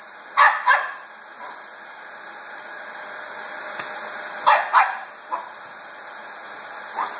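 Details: A two-year-old Border Terrier, Koko, confronting a Dyson vacuum: two quick yaps, a lull filled by loud motor noise, then another close pair and a couple of fainter barks.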